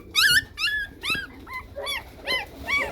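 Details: Several 15-day-old Chow Chow puppies, wriggly and being handled, give high, whistled squeals that rise then fall. About six separate cries are spaced roughly every half second, with faint room hum beneath.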